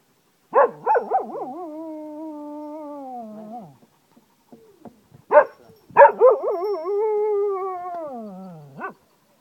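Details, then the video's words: Cocker Spaniel named Zeeko howling wolf-like at home in Ajloun, Jordan: two drawn-out howls separated by a pause, each starting with sharp yips, holding a level tone, then sliding downward as they fade. "cocker spaniel howls like a wolf"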